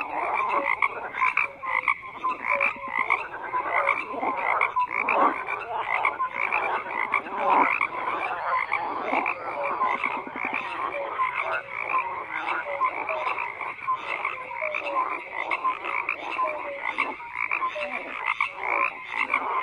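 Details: Frogs croaking in a dense, continuous chorus of overlapping rattling calls, with short tonal notes popping out repeatedly over a steady background of many callers.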